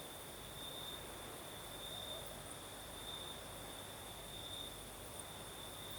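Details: Crickets singing at night in southern Crimea, a steady high chirring tone with a fainter, higher pulsing layer above it, over broad hiss from the night breeze.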